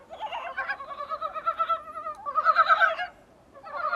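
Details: Dybowski's brown frogs recorded from a small room's window: overlapping throaty, pulsed croaking bursts, rattling and clucking, with a pause near the end before calling resumes.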